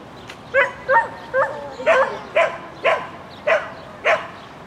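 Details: Shetland Sheepdog Lesya barking during an agility run at the Spring 2016 competition on 22 May 2016: eight sharp, high barks spaced roughly half a second apart, each with a bright upper ring, over a low murmuring background.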